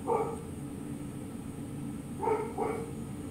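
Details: Milo, a mini French Bulldog, barks after spotting a flower and climbing the plant: one short, sharp yip, then two more in quick succession about two seconds later, over a steady low mechanical hum.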